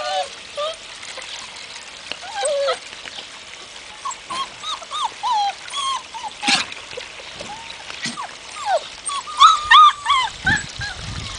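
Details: Hungarian Vizsla puppies, recorded in 2012, on their first contact with water: many short squeaky whines and yelps, rising and falling, overlapping from several pups, with faint trickling water and a little human speech.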